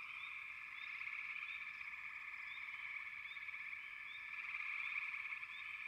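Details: Frogs in full chorus, an even, fast-pulsing trill filling the whole stretch, with short bright upward chirps repeating and the volume rising toward the end.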